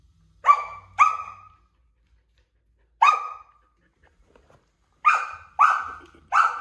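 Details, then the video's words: Samoyed puppy Sasha keeps barking at a stool a toddler is moving, giving six loud, clipped barks in uneven bursts, two close together, one alone, then three quick ones, with silence between. "Our Samoyed Puppy! Barks at the Moving Stool"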